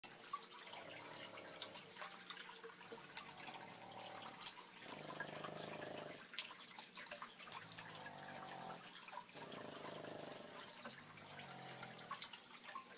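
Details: A sleeping Boston Terrier snores softly in slow, rasping breaths every few seconds, at about 2 am, loud enough to be heard from the next room.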